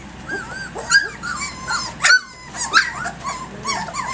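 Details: Active puppies aged three weeks and three days, romping at six in the morning, give thin rising and falling whines and squeals, several voices overlapping, with one brief sharper yelp near the middle.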